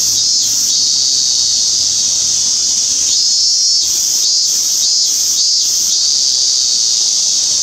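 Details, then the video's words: Minmin cicada singing on 17 August 2016: an unbroken shrill hiss-like drone, broken around the middle by several quick rhythmic pulses repeated about every half second. "ミンミンゼミ？・鳴き声 minminzemi"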